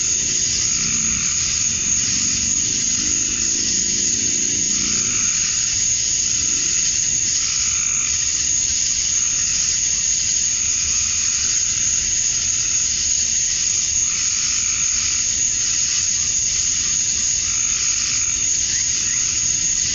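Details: Male cicadas calling to attract females at dusk on a summer night in Georgia, USA: a dense, steady high-pitched hiss with softer pulsing tones swelling and fading every two or three seconds beneath it.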